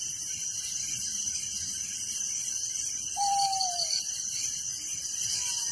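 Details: Crickets chirp at night in a village, a continuous high-pitched shimmering trill, joined midway by one clear whistled note that falls in pitch and a faint second whistle near the end.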